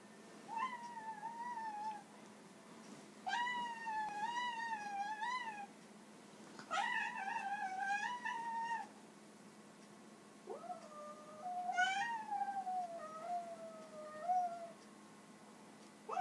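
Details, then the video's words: Ginger domestic cat, described as angry and talkative, indoors: a series of loud, drawn-out meows with wavering, harmonic tones, some rising then falling, several long yowls separated by short pauses. "Pissed off Ginger cat"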